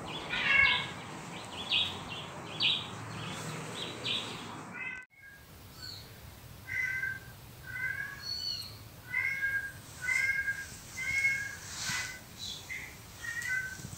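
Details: Domestic cat, a female guarding her home space against intruding cats heard from recordings, calling indoors; after a noisy opening, a steady run of short harmonic meows and mews repeats roughly every second, some rising, others sliding down.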